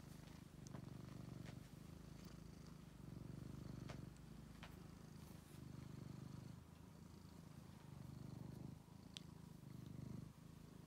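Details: Rescued male pet cat purring at home, a low rhythmic rumble in clear swells of about one to two seconds alternating with softer pauses as it breathes in and out, with faint clicks and rustles.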